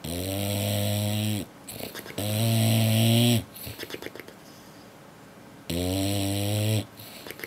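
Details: A male English Bulldog lip-snores after a long day at the beach, in long, rumbling, harmonic-rich breaths that come back every few seconds.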